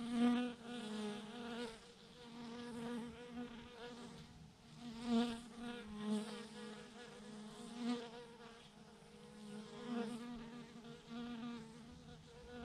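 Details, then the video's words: Thousands of honey bees hanging in a massive swarm clump on a branch; a steady, droning hum with a low fundamental and stacked overtones, swelling in louder bursts roughly every two to three seconds. "thousands of BEES hanging on a branch in a massive clump"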